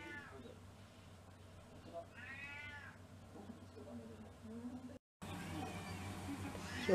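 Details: Domestic cat in a six-cat household getting a special dinner for Cat Day, February 2023; one arched, harmonic-rich meow rises and falls midway, with quiet human voices, faint low hum, and a brief cut before a louder finish.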